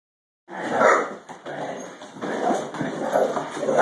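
A Great Dane gives a run of low, gruff, grumbling vocalizations with short yips and whines.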